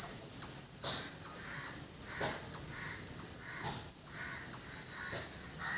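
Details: A squirrel in a village calls in a long series of piercing, high-pitched chirps, each short and bright, at an even pace just over two per second, with faint background rustle.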